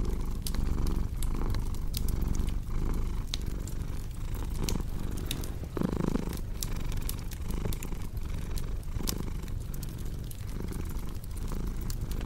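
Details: Cat's rumbling purr paired with fireplace crackle for relaxation and sleep: steady low vibration pulsing with breaths about forty times a minute, a louder swell near the middle, and scattered crisp pops of burning logs.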